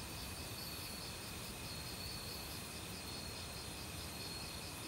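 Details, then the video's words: Autumn cricket chorus in a forest with assorted insects. Pulsing trills swell and fade every second or so over a steady shrill tone, and a loud stream rushes in the background. "가을 귀뚜라미 소리"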